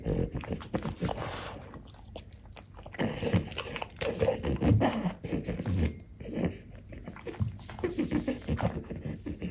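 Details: Two French Bulldogs, mother Ume aged five and daughter Roku aged four, eating tomato indoors; wet chewing and low snuffling snorts come in irregular bursts, with a quieter pause near the second second.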